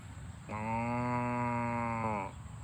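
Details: A cow on a farm as the herd runs home to the barn gives a single sustained moo lasting nearly two seconds, flat and rich in overtones, over a low background hum.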